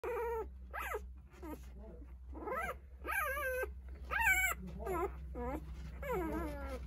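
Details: Nine 8-day-old Jindo puppies cry for their mother, Sarang, while she eats a snack; high, wavering harmonic whines rise and fall in overlapping bursts, indoors, with a steady low hum beneath.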